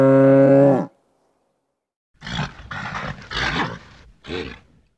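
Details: Nervous bull: a single clear, deep, sustained moo, a second of silence, then a run of four rough, noisy grunting snorts in quick succession.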